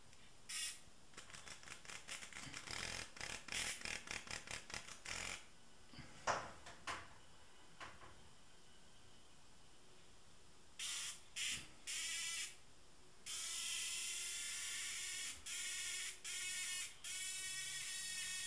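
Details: Rapid dry clicks and ticks open the recording, then a tame cicada breaks into harsh buzzes: several short bursts, followed by longer sustained rasping buzzes toward the end.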